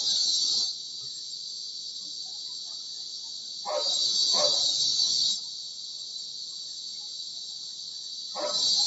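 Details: Kuliglig (cicadas) droning outside a bedroom window: a continuous high electric buzz that swells louder twice. Dogs bark a few times as the drone rises.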